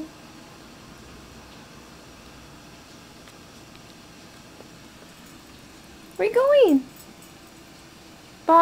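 A dachshund gives a brief, pig-like squeal that rises and then drops, after a long quiet stretch.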